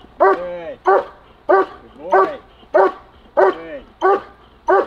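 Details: German Shepherd barking in protection training: eight strong, rough barks in an even rhythm, roughly one every 0.6 seconds, with a handler's voice faintly behind.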